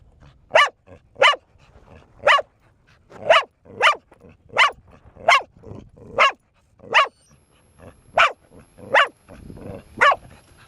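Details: A steady run of about fourteen sharp barks, spaced under a second apart, from Bear, a four-year-old female dog barking nonstop as exercise while teased with a toy; faint background noise between barks.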